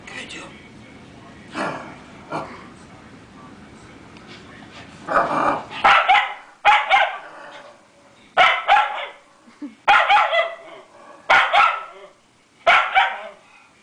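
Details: Schug, a white schnauzer, objecting to a new deer wall decoration at home; after a spoken voice early on, a run of sharp barks repeats roughly every second and a half, some doubled, with a faint growl.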